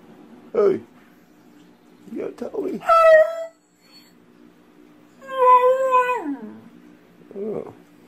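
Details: Beagle indoors giving two drawn-out harmonic howls, the second holding steady then sliding downward, separated by short sharp yelps or barks; a quiet household room with a low steady hum behind.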